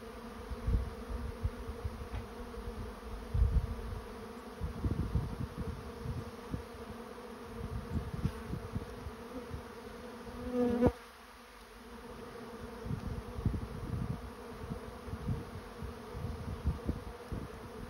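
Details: Honey bee swarm moving into a swarm trap: an uneven low buzz with pulsing surges and soft thumps, a sharp knock around the middle, then the droning hum continuing more quietly.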